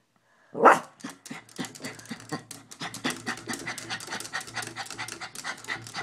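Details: Indoor Maltese reacting to a squirrel seen through a window: one sharp yelp-like whine, then fast, rhythmic, raspy panting and snuffling pulses that continue steadily, over a faint low background hum.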